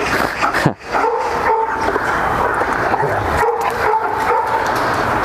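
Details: A flat-backed German Shepherd mother, reunited with her daughter after a year apart, starts trying to put her pup in her place. Drawn-out high whines repeat over steady background noise, with a sharp thump near the start.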